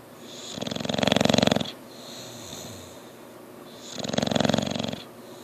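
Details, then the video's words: English Bulldog Bugsy snoring in his sleep; loud, rattling, buzzy snores lasting about a second each, about three seconds apart, with softer wheezy breaths in between. "English Bulldog Bugsy snoring"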